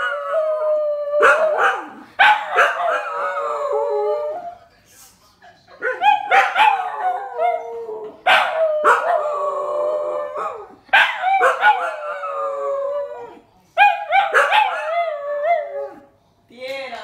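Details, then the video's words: A male dingo and a little companion howl together, unprompted, in long, wavering, harmonic-rich tones that slide downward and break into repeated bouts. "Howling Dingo"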